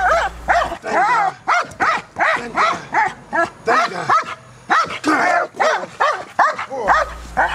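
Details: Aggressive barking from the dog Neros at a box in KNPV-style training: a fast, sustained volley of harsh barks, nearly three per second, with brief pauses and a handler's praise heard between them.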